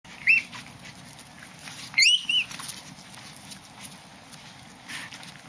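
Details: Black Chihuahua puppies playing in Bangkok, Thailand: brief high, squeaky yips, one near the start and a cluster of sharp rising squeals around the middle, over a steady low background hum.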